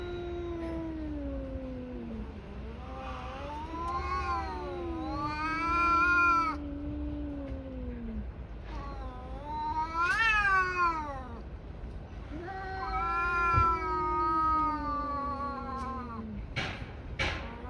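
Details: Brawling tabby cats trade wavering, undulating yowls, low moans swelling into higher screaming howls, several overlapping outbursts, ending with sharp bursts of noise.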